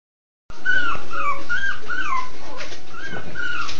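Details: Miniature Schnauzer puppies at a breeder give a run of thin, high whimpers that rise and fall in quick succession.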